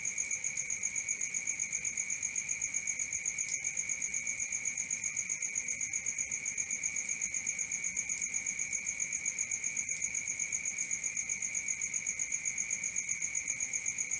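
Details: A nighttime cricket chorus for sleeping: a steady, high, ringing trill of rapid pulses that never pauses, with no other sounds.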